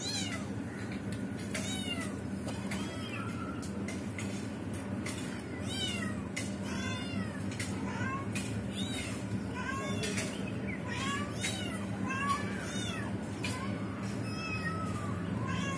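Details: Mother cat and trapped kitten as the mother tries to rescue it and fails; many short arched meows, some high and thin, overlap through the clip over a steady low hum.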